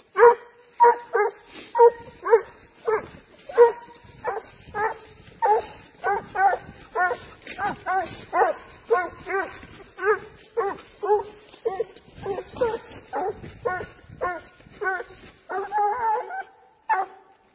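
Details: Spanish hound trailing wild boar, giving a long, steady run of tonal, ringing bays about twice a second, growing denser and overlapping near the end before stopping abruptly.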